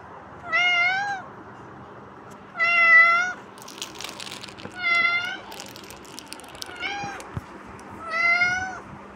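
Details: Kitten calling with five high, slightly wavering meows, each about half a second long and spaced roughly two seconds apart, with light rustling in between.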